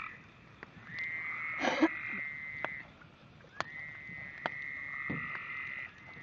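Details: Frogs singing in long trilled phrases that start and stop, high and low bands overlapping, with scattered sharp knocks and a brief rustling burst.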